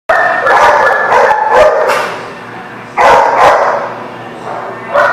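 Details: Dogs barking at a place called the Barking Lot, recorded 19 August 2019; rapid, harsh barks in quick clusters, several dogs overlapping, with a quieter lull in the middle before the barking resumes.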